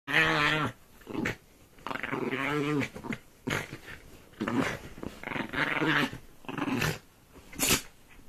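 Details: A pet dog indoors growls and snarls while attacking a duvet: rough, throaty bursts with layered harmonic tones, each lasting about a second, separated by short pauses, in a small room.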